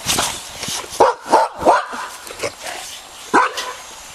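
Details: Four-and-a-half-week-old Boxer puppies out in the park for the first time, letting out a few short, high-pitched yips and barks in quick succession over rustling and background noise.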